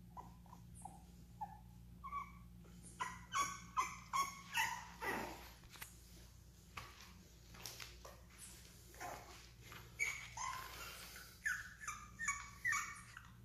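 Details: Bulldog whining indoors: thin, rising whimpers that turn into rapid bursts of short squealing yelps, about two or three per second, with a pause and a breathy rustle midway, over a constant low hum.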